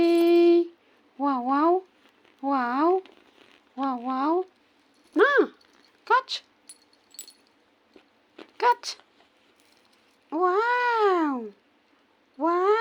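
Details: Female kitten disturbed while trying to sleep indoors, giving a run of short meows, several dipping then rising, others arching up and down, spaced one to two seconds apart, with small clicks and taps between them.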